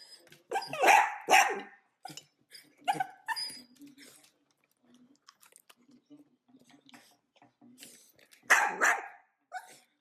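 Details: Dachshunds, or sausage dogs, at mealtime with food: several loud, sharp barks near the start, quieter short yaps and soft chatter in the middle, then another strong bark burst near the end, with a person's voice and background music.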